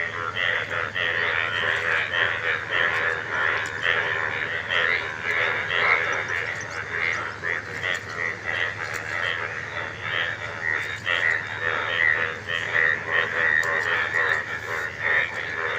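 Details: A group of frogs calling together, each inflating vocal sacs on both sides of the neck while calling; continuous rattling, pulsed croaks overlapping in a busy chorus, with a person talking and laughing nearby.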